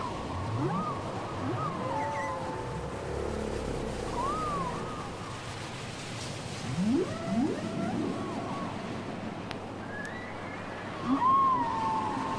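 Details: Cassette recording of whale song: a varied sequence of rising whoops, short looping tones and sliding moans, with a pair of steep upward sweeps midway and a bright descending whistle near the end, over ocean hiss.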